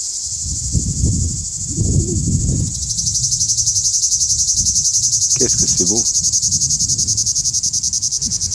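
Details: Cicada singing in woods of the Alpes-de-Haute-Provence under a clear blue Provence sky, its song made by cymbals under the abdomen vibrated by a powerful muscle: a high, steady hiss that turns into rapid even pulsing, with some speech and rustling early on.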